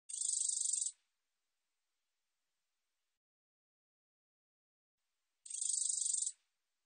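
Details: A black-backed katydid, recorded in Korea in 2020, gives two high, dry buzzing bursts, each lasting about a second.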